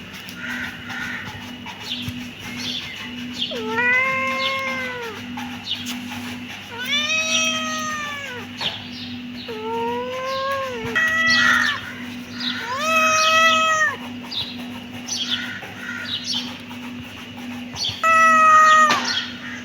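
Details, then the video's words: Kitten meowing repeatedly: a series of drawn-out, arching harmonic meows, about one every two to three seconds, some rising sharply, with a constant low hum underneath. "Cute kitten meowing"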